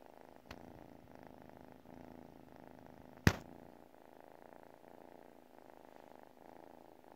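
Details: Domestic cat asleep and purring: a low, even rumble rising and falling with each breath about once a second, interrupted by a single sharp knock near the middle.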